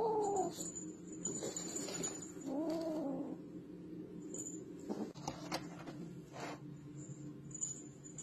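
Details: Cat meowing: a descending cry at the start, then a longer arched meow, followed by sharp clicks and tapping noises with a faint high-pitched whine.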